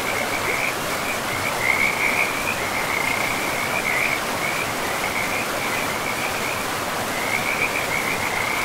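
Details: In a pristine forest by a river, frogs keep up a continuous string of quick, rattling croaks, briefly pausing near the end before resuming, while the river's steady rushing noise fills the background.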